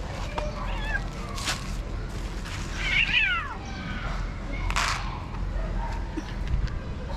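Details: Stray cat fed by a caregiver outdoors: a loud, strained meow sweeping up then down around the middle, with smaller mews before it and broadband rustling bursts.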